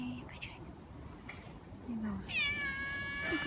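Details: Stray cat, described as very sensitive to sound, gives a short high meow in the second half. The meow has several bright bands and bends downward. Soft Japanese speech is heard, and there is low background murmur.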